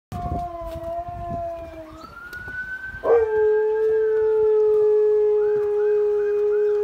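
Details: A Husky howls at an emergency services siren: the wailing siren sweeps first, then a long, steady, sustained howl holds a level pitch for several seconds.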